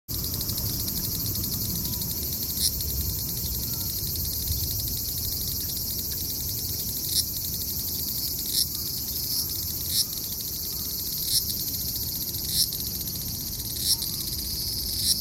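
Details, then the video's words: Large brown cicada singing at last in July at Aoba Park, 19 July 2019, in a year when few were heard: steady dense high buzzing drone throughout, with a low rumble of background noise beneath. "アブラゼミ ようやく鳴きました"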